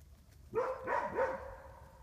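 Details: Wolfdog named Sammy at a wolf sanctuary in southern Ohio, USA: a brief run of high, wavering whines or yips that rise and fall over about a second, set against quiet background rumble.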